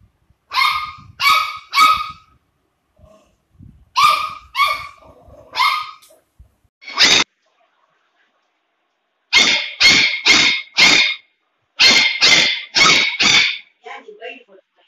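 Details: Labrador Retriever puppy named Cyrus barking in quick bursts of two to four sharp, bright yelps separated by short silences, around fifteen barks in all, ending with a few soft whimpers; no other sounds.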